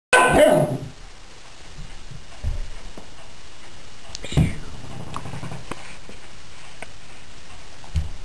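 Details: Female puppy attacking a flying squirrel toy indoors after earlier taking a tumble on the hardwood floor chasing it; one loud, sharp bark opens, followed by quieter thumps, scuffling and faint knocks on the floor.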